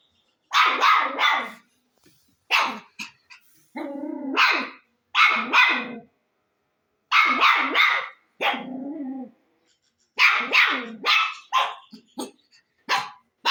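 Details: Barking dog, loud sharp barks in clusters of two or three. A couple of lower, longer, wavering yelps sit among them, with quiet gaps between the bursts.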